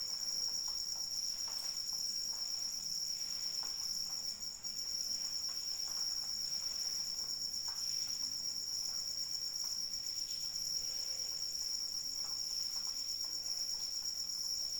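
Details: Rainy-night cricket chorus, one sustained high ringing trill with fast regular pulses and faint overtones, steady across the whole stretch, accompanied by soft patter of falling rain.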